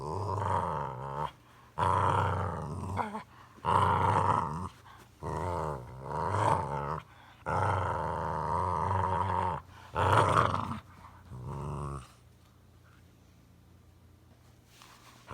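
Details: A boxer dog makes funny vocal sounds: a run of loud, throaty growling grumbles and moans, each lasting one to two seconds and separated by short pauses, then falling quiet near the end.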